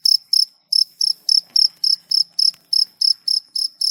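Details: Cricket chirping at night, offered as a relaxing nature sound: clean, high-pitched pulsed chirps repeating about three to four times a second, with a brief gap near the start and no other clear sounds.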